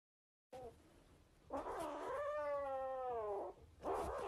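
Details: A cat gives a long, drawn-out wavering yowl of about two seconds, rising slightly then sliding down, preceded by a short low call and followed by a harsh, noisy burst.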